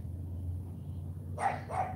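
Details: During morning obedience training, the Cane Corso Charme lets out two short, sharp barks after a quiet stretch of low hum, between spoken commands to the female dog.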